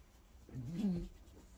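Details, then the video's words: Bob, a French Bulldog, grumbles for attention indoors after breakfast while being rubbed and stroked with his ball nearby; a single short, low, rising-and-falling moan lasts under a second. "French Bulldog Wanting his attention"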